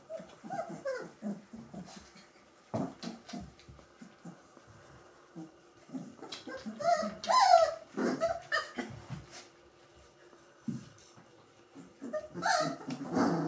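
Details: Three-week-old Gordon Setter puppies from the E litter, indoors; scattered short whimpers and squeaks from several pups, some rising whines near the middle, with rustling and quiet gaps between bursts.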